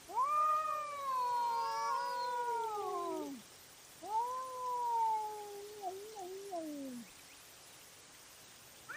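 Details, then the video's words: Cat fighting at night, trail camera recording: two long wailing yowls, the first over three seconds and falling at the end, the second shorter and wavering downward, with a fresh cry beginning at the close. "Cat Fight at Night & Call Weird Sounds"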